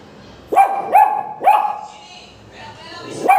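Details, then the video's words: Several Pomeranian puppies bark without any clear cause, giving short, high-pitched yaps, three in quick succession, then a pause before another bark at the end. "Pomeranian puppies starting barking without any reason"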